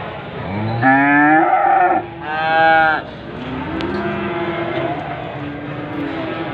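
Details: Limousin cattle kept in Gunung Kidul, Indonesia: two loud mooing bellows, the first rising and the second a strained, harmonic-rich low, followed by a quieter drawn-out moo with steady background hum.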